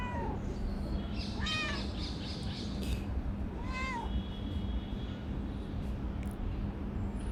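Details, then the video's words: A talkative, affectionate calico female cat living under a workplace meows in several arched harmonic calls, a short one at the start, a doubled meow near one and a half seconds and another near four seconds, over steady low machinery hum. "Very talkative calico cat"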